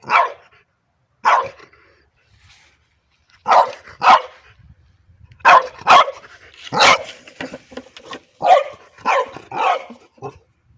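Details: French Bulldog at play, barking at a pipe: about a dozen short, sharp, mid-pitched barks, some single and some in quick pairs or triplets, spaced irregularly over ten seconds with brief quiet gaps between bursts.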